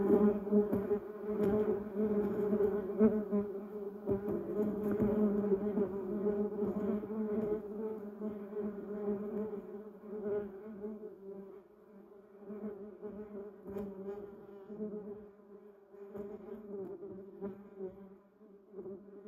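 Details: Bumblebees buzzing among yellow cassia and duranta erecta flowers: a loud layered droning hum for the first half, gradually thinning and growing quieter and patchier as the bees drift away.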